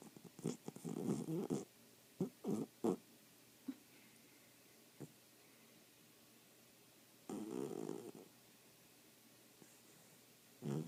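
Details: Sleeping dog snoring indoors: rough, breathy bursts come in an uneven run early on, with a single long snore later and quiet gaps between.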